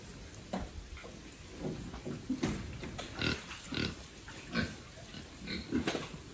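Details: Farm pigs raised by a family for sale, grunting in short bursts repeated about every half second to a second, low rough calls with brief louder squeaky notes, faint indoor room echo.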